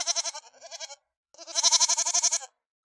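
A domestic goat gives two nasal, quavering bleats, the second longer and louder.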